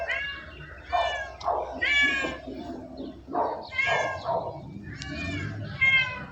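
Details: Several short domestic cat meows follow one another irregularly, each bright and arching in pitch, with low background murmur of people.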